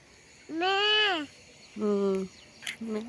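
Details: Sheep in front of a house by a sheep farm bleating three times: a long, loud, wavering first bleat, a shorter lower steady one, then a brief third. Faint voices and rustling sit between the calls.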